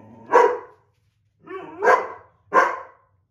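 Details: White Boxer and older black Lab mix indoors arguing over a coveted window seat, the Boxer upset; three loud, sharp barks spaced about a second apart, the middle one preceded by a low grumble.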